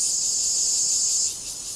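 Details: A steady, high-pitched insect trill in vegetation in Taiwan hums without a break, easing slightly in loudness near the end.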